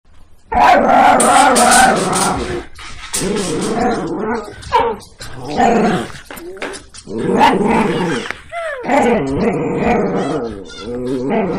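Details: Dogs playing and biting, with rough, snarling growls in long harmonic bursts that break into short yelping barks, with brief pauses between bouts.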